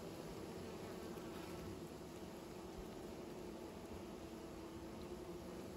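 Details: Bees building new nests give off a continuous low droning hum, even and unbroken across the whole stretch, with no other clear sounds.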